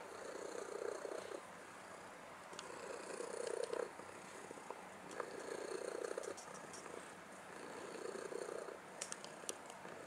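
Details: Domestic cat purring softly, a steady rumbling with rhythmic swells that return every two seconds or so, over faint background hiss.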